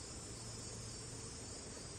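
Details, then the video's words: On a beautiful summer morning in a backyard, a cicada's steady, high, hissing drone runs unbroken beneath a low buzz of bees covering nearby corn. "All right, so you can hear the cicada in the background."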